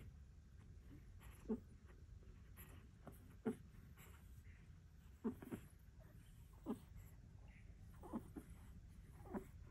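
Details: Four-week-old American Bully puppies settling for nap time after nursing, giving short squeaky whimpers with rising tails, about six in a row spaced roughly every one to two seconds over a low steady background hum.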